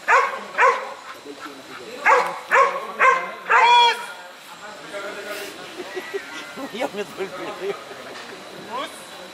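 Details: Airedale Terrier barking during IGP 3 protection training: a quick run of five or six loud, harmonic barks in the first four seconds, then softer scattered sounds, scuffling and voices in the background.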